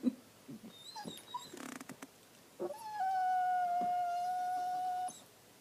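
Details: Dog in a tantrum after pushing his bone under the sectional sofa: soft scattered whimpers and shuffling noises, then one long, steady, high-pitched whine held about two seconds before stopping abruptly.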